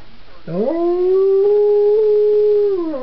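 A Belgian Tervuren gives a long, steady howl that swoops up, holds its pitch, then slides down.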